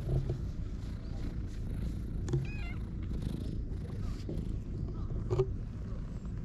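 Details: Stray cats gathering in the shade on a cat island; a low, steady purring rumble runs throughout, with brief high bird chirps above it.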